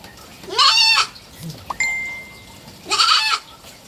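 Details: Three-month-old baby goat kid kept as a pet, bleating twice: two short, harmonic-rich cries rising then falling, about two seconds apart, with a brief thin electronic tone and a faint low thud between them.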